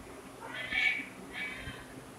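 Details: Domestic cat giving two soft, high-pitched meows, the first louder and slightly rising then falling, the second fainter, over a quiet low background hum.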